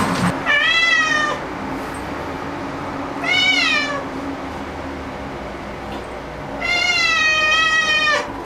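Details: Black domestic cat meowing noisily, excited after discovering an insect: three loud, drawn-out meows, the first and last long and wavering, separated by pauses, over a steady background hiss.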